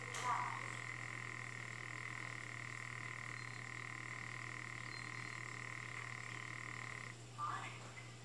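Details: African clawed frog calling: a steady, metallic buzzing trill held unbroken for about seven seconds, then stopping, followed by a brief rough burst; a constant low electrical hum runs underneath.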